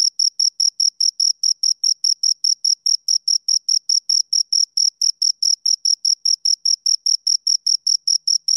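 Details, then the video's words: A pair of crickets gives a continuous, even train of short, shrill chirps, about four or five every second, with no gaps. The background is completely quiet. "Two Crickets Chirp Sounds"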